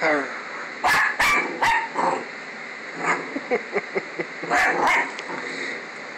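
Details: A dog barking at a stuffed toy version of herself that she dislikes; sharp loud barks in a quick cluster of three, softer short yips and whines in between, then another pair of loud barks.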